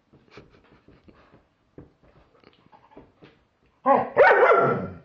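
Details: German Shepherd barking at a Halloween pumpkin: soft grumbling and huffs at first, then one loud, drawn-out harsh bark near the end.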